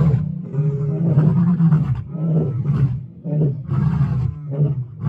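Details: White lioness of the Birmingham Pride roaring in Kruger on 10 June 2024: a run of deep, rumbling grunts, each about a second long, coming in steady succession with short pauses between them.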